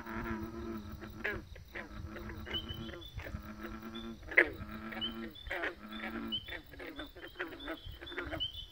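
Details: Frogs chorusing in bursts: nasal, harmonic croaks about a second long repeat with short gaps, backed by rattling pulses and faint high chirps. One sharp click stands out midway.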